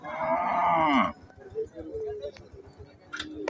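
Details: A nine-month pregnant cow of the local Deshal breed gives a single loud moo, a rich harmonic call lasting about a second. Quiet rustling and a few sharp clicks follow.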